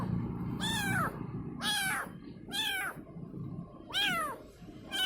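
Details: Kitten meowing to call its mother: four loud, bent cries about a second apart, each rising briefly then dropping in pitch, against a low hum.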